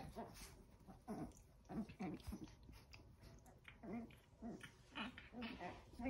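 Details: Eleven-week-old Chihuahua puppies fighting over a towel indoors; short low growling yelps and whines come in uneven bursts, mixed with scuffling, with a person's voice faintly present.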